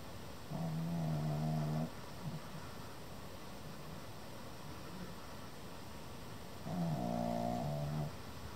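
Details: Male Pekingese puppy, almost seven months old, snoring while sound asleep indoors: two long, droning, harmonic-rich snores, each lasting over a second, about six seconds apart, with quiet breathing between.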